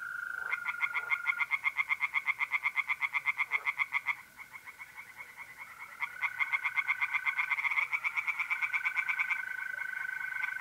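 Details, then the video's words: Tree frogs in a pond on an April night in North-East Italy give long series of quick, regular croaks, about four per second, with a brief pause midway; mole crickets trill steadily beneath. "relaxing singing tree frogs in pond and trilling mole crickets by night"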